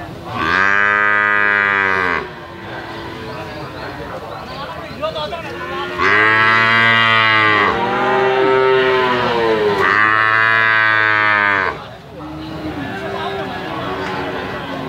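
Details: Calf mooing in long, loud, tonal calls, each about two seconds with rich stacked harmonics, three main moos separated by quieter, lower mooing from other cattle in the background.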